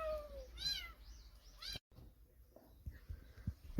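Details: Kitten cries from a litter guarded by its tabby mother: a falling mew, then two sharp harmonic meows in quick succession, followed by a sudden cut to quiet with scattered knocks.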